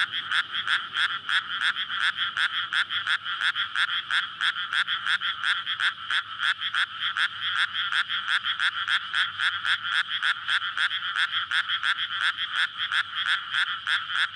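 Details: May night in a flooded paddy where frogs gather to breed after the water is let in; the chorus is intense and dense, croaks tumbling fast and almost continuous over a steady shrill band, recorded with a PCM-D100.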